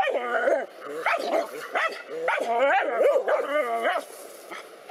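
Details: Two black dogs fighting a cobra, giving a dense run of harmonic, wavering barks and yelping whines that bend up and down in pitch, with short pauses between bursts.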